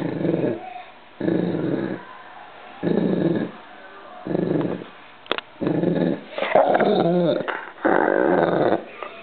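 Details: Clive, a one-year-old white retriever, waking from sleep indoors: a series of low rumbling growl-groans in bursts of about a second, roughly every one and a half seconds, with a brief higher whine in the middle.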